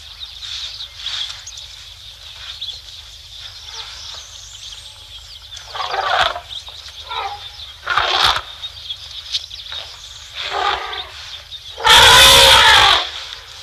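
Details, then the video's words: Elephants at Tembe Elephant Park, South Africa, recorded on 3 October 2025 at 12:45 PM during a bout of excitement. Harsh scattered bursts build to a loud, blaring, broadband blast near the end, over a steady high insect hum. "Excitement at the Elephants (sound on)"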